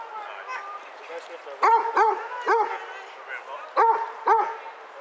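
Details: Basset Hounds, eight of them on a group walk at Burghead Bay near Elgin, Scotland, on 7 September 2014; loud baying barks with a low curved onset, often in pairs, over faint background voices.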